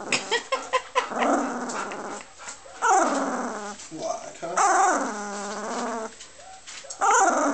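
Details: Two-week-old puppies whimpering and yelping indoors: high, wavering, tonal cries in several long bursts, rising and falling in pitch, with a woman talking nearby.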